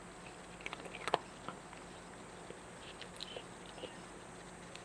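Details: A domestic cat eating, chewing indoors: soft, irregular crunching clicks and small bites, with a cluster of sharper crunches near the one-second mark and quieter chewing afterward in a quiet small room.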